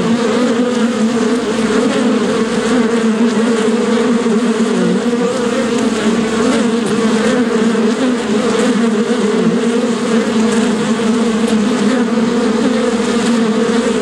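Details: Long unbroken bee buzzing lasting fourteen seconds: a deep, even drone with a strong low hum and a second band above it, small pitch wobbles, loudness constant throughout.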